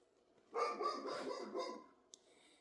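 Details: A dog gives a single drawn-out, rough bark lasting over a second, then falls silent apart from a faint click in a quiet indoor setting.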